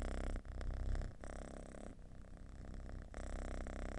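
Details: Domestic cat giving a deep, loud purr, most often an expression of contentment and relaxation; a low, steady rumble pulses rapidly with a few brief dips in loudness, overlaid by faint broadband hiss.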